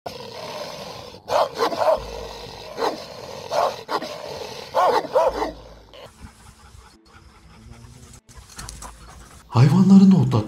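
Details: Kangal shepherd dogs guarding nomads' sheep flocks against wolves on highland pastures: a run of loud, deep barks in quick bursts through the first half, then quieter ground noise and a final low, drawn-out harmonic cry.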